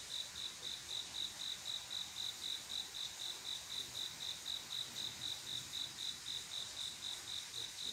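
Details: Male crickets calling females to mate on a quiet summer night: a high, clear chirp pulsing steadily about four times a second for the whole stretch, over a soft hiss of background insects.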